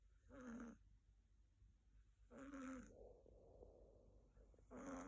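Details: Sakura, a female Siberian kitten born 6 February 2021, sleeps on her owner's bed and snores. Three nasal, whining inhalations come about every two seconds, with a soft breathy rustle between them in a quiet room.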